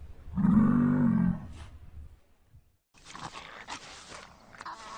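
A wolverine gives one deep, rough growl lasting about a second. After a short pause, a voice speaks over some noise.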